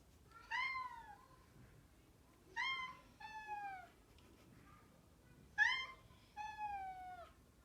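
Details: Indoor house cat inviting a second cat to play fight, calling in its usual soprano pitch; clear, bright meows, some paired and falling at the end, repeated about every two to three seconds against a quiet background.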